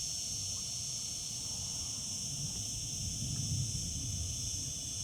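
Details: Summer cicadas sing as a dense, level, high-pitched shrill hum without breaks, over noticeable low rumble that rises briefly near the middle-end.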